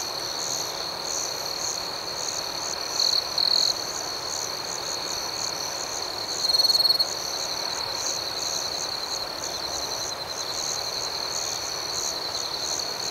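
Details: Crickets serenading in the night: an unbroken high-pitched trill layered with quick rhythmic chirp pulses about four per second, with short louder bursts from a closer insect around three and seven seconds.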